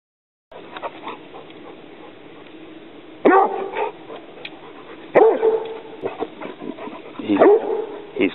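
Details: Young Rhodesian Ridgeback confronting an alligator snapping turtle, giving three loud, sharp harmonic barks roughly two seconds apart after a quiet start, with a person's voice warning nearby.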